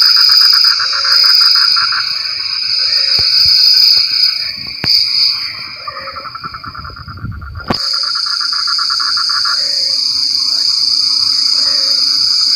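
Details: Frogs calling in the rain: rapid pulsed trills repeating about four times a second, with short low croaking notes scattered between. A steady high insect drone runs throughout, and a sharp crackle breaks in near the eighth second.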